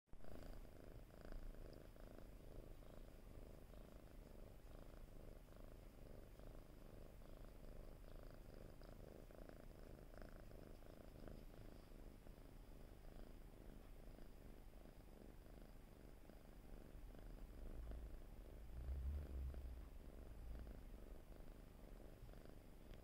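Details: Domestic cat purring while being rubbed and settling down for a nap: a soft, continuous low rumbling purr, steady and pulsing throughout, in a quiet indoor setting.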